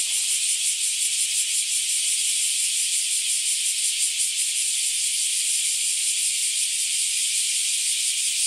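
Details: On a hot day near a home in Japan, many bear cicadas (Cryptotympana facialis) sing together in a dense, unbroken, high-pitched buzzing chorus.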